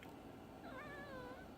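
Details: Pet cat at home, which likes to talk to its owner: one soft, drawn-out meow that falls gently in pitch, heard faintly over a low background hum.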